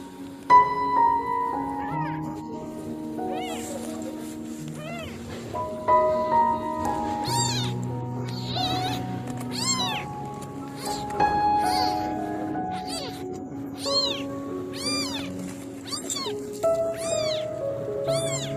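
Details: Homeless female kitten crying alone in the dark, eyes swollen, mother absent; a series of high, arching meows that come more often and louder in the second half, over steady background music.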